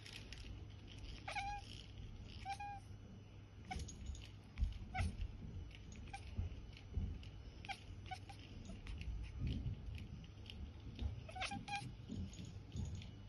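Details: Percy, a cat, hunting for godzilla and giving a few brief, sparse chirps, with one near the start, another soon after and a late pair, separated by long quiet gaps over a constant low hum.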